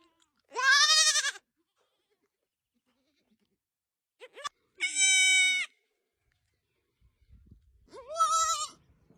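Young goats give three high, quavering bleats, each under a second long, with pauses between.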